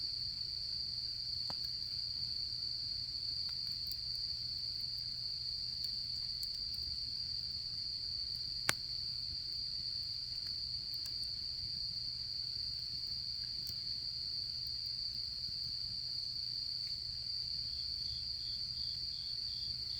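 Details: Autumn insects at a campfire: a constant high trill runs through, and a second, faster pulsed chirping joins near the end. Occasional sharp wood crackles and pops come from the fire.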